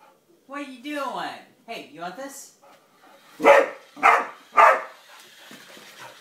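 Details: Pet dog barking at a yellow toy car it seems to dislike: wavering, pitch-sliding voiced sounds open the recording, then three loud, sharp barks follow about half a second apart, with quiet background between them.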